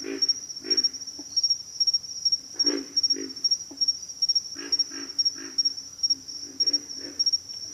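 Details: Deep, hoarse pig frog grunts in short double and triple bursts with pauses between, set against an unbroken high insect drone.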